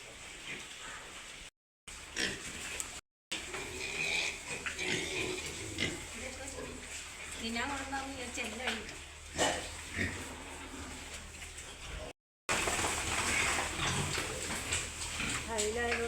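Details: Herd of pigs on a farm in Wayanad, with sows expected to be lying down after farrowing; repeated short grunts and squeals over steady farm noise and people talking, with several abrupt cuts.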